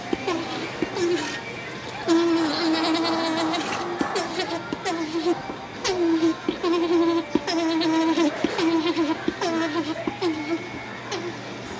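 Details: Male alpaca Tack at Tokiwa Zoo, Ube, in the alpaca barn, happy to finally meet female Jane after her shearing; mid-pitched tonal calls, each with a brief rising onset then a steady held tone, coming in bursts amid human voices.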